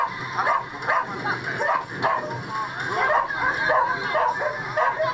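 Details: A Golden Retriever at a frisbee competition in Okayama on 7 May 2011 gives quick, high, repeated barks and yips over a murmur of voices.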